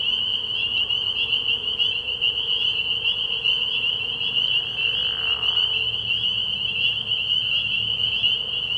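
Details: Massed spring peepers at a frog pond after dark, early in the year, produce an unbroken high-pitched ringing drone of overlapping peeps, with a soft lower swish midway through.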